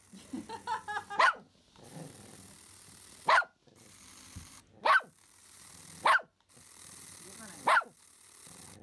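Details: Pomeranian named Simba, excited by a remote-control rat it sees for the first time, gives sharp high barks spaced one to two seconds apart, with soft whining sounds at the start and indoor background hum.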